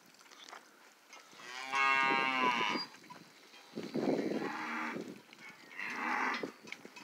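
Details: Charolais calves at Rancho Santa Teresa in China, Nuevo León, giving three drawn-out harmonic moos, the first strongest and wavering, the later two shorter and higher, separated by quiet stretches.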